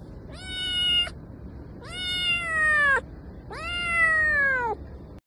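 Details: Domestic cat meowing three times, each a clear, drawn-out, slightly falling mew lasting about a second, spaced about a second apart, in a quiet setting.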